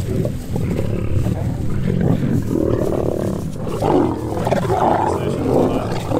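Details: Male lion approaching a female lion for mating, wild: continuous loud, gravelly low growling and snarling throughout, with uneven swells and a few wavering higher-pitched moans.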